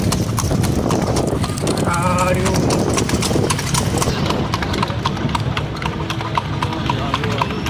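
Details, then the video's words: Horse pulling a cart on a night-time ride, hooves striking in a steady clip-clop of sharp clicks, about two per second, over a low rolling rumble of the cart, with a brief human voice near the two-second mark. "Clip Clop Sound effect. // Night time horse cart ride."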